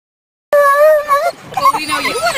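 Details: Stormy, a female dog at her first lure coursing event at a local dog park, excitedly hyping herself up before her run. A loud, steady, high whine wavers slightly for about a second, then breaks into a busier jumble of higher yelping tones.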